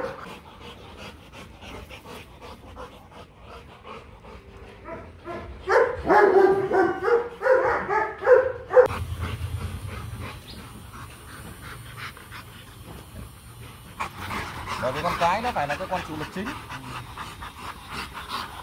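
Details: Mating pair of Rottweilers, Marvin Gervi and Kacyno Gervi, in Hanoi, Vietnam, the male winning over a fussy female; quiet panting gives way to a run of tonal whimpers and whines, followed by background noise and voices.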